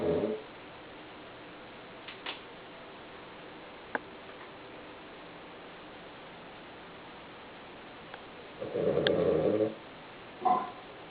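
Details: Male Cavalier King Charles Spaniel, 11 kg, asleep indoors and known for loud snoring: after quiet breathing, a rough, rasping snore lasting about a second, then a shorter snort two seconds later, with faint room clicks.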